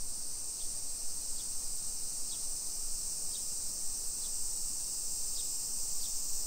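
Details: Summer cicadas around a hillside neighborhood near Nagoya, Japan, 1 PM on 28 July 2021: a flat, steady high-pitched buzzing wall of sound, with short sharp chirps repeating about once a second just beneath it.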